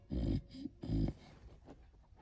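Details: A Beagle burping indoors: two short, deep, rough bursts about half a second apart, low and throaty, followed by quiet breathing in a small room.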